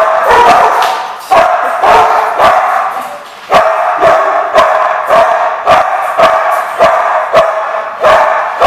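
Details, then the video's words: Dogs at The Barking Lot, 1/2/15, barking almost nonstop: harsh, overlapping barks pile into a continuous clamour, with sharp, loud strikes roughly every half second to second. "The Barking Lot"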